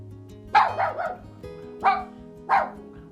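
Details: Dog barking: three short, sharp barks, the first a quick double, spaced over about three seconds, over soft background music.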